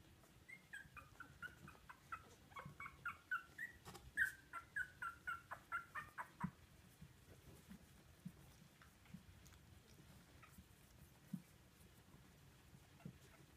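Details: Two-week-old Poodle puppies learning to walk, waddling toward their mother, give a run of high, thin whining whimpers, a dozen or so short rising-falling cries in quick succession midway, then soft rustling and shuffling.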